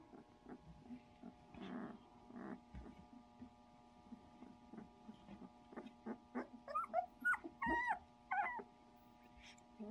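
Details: Sixteen-day-old puppies whimpering and yipping, with soft scattered cries early on that grow into a burst of high, wavering squeals toward the end, over a steady electrical hum.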